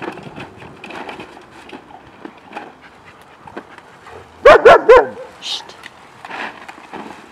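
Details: Pack of German Shepherds playing in a kiddie pool of ice, with a short burst of three or four loud sharp barks midway, surrounded by splashing, shuffling and people talking in the background.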